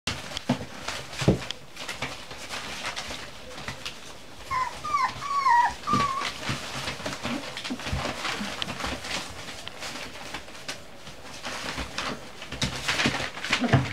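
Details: Cocker Spaniel puppies playing indoors in a kitchen give a short run of high, wavering whimpers and yelps midway, each rising then falling, amid scuffling, thumps and clattering household noise.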